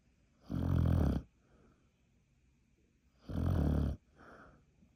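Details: Two rough, low snores about three seconds apart from a sleeping Beagle dog, each followed by a faint, softer exhaling breath.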